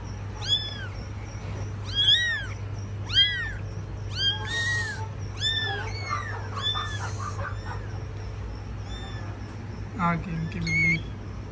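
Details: Kittens being cared for by their mother cat give high, thin arched mews, about a dozen in quick bursts, then a few softer, lower calls near the end over a steady low hum.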